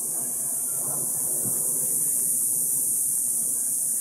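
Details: Many cicadas in Palo Verde and mesquite trees buzz after sunset on a summer evening walk through a neighborhood. A dense, continuous, high shrill drone fills the air, with soft low rumble beneath.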